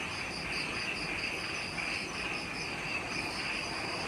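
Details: Jungle insects on Ishigaki Island, Okinawa, Japan, at twilight after sunset: a high whining tone pulsing in quick regular beats above a steady buzzing trill, the chorus unbroken throughout, with low ambient noise beneath.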